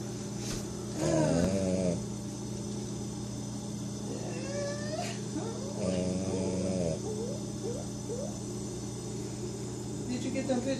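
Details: A Pekingese snores in drawn-out, raspy, low breaths over a steady household hum, after a long day at the groomer.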